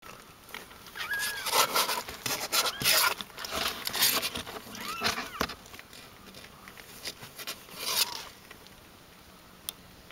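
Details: Seventeen-day-old Ragdoll kittens, several high thin mews arching up and down, heard roughly every three seconds over frequent rustling, scratching and soft patter from the litter moving about.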